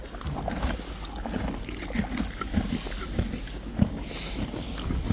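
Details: Friesian horses and foals chew hay with steady, soft crunching grinds repeated about twice a second.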